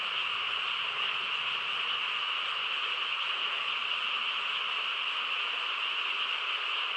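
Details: Night-time frog chorus in quiet countryside, a thick continuous murmur of many overlapping callers, high and trilling in texture, steady in volume, with a faint lower rumble and no other clear sounds.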